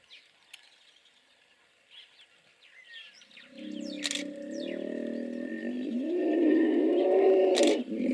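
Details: After a few quiet seconds of faint bird chirps, hippos break into a pulsed, buzzing rumble that grows louder and rises slightly in pitch toward the end, with a sharp click or knock near the close.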